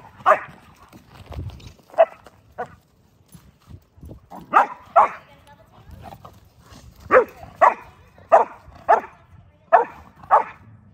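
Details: Mastiffs romping in the snow, a group that also includes a Rockweiler and 5-month-old pups. One dog gives about eleven sharp, deep barks, some in quick pairs and others spaced a second or more apart, with soft rustling between.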